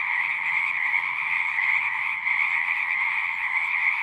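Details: Singing frogs heard as a thick, continuous chorus, a bright ringing trill sustained without pause, faint low-pitched noise in the background.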